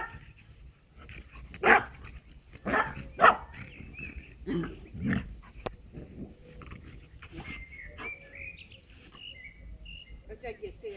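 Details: Playful tussle between a Moscow watchdog x Amstaff mix and a French bulldog, giving several sharp barks and gruff yelps in the first five seconds, then quieter scuffling with faint thin whistled chirps in the background.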